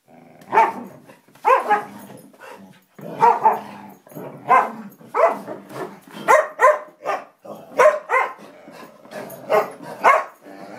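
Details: A Samoyed and a Siberian Husky in a friendly play fight trade a steady stream of short, rough barks and yips, roughly two per second, over a continuous low growling rumble.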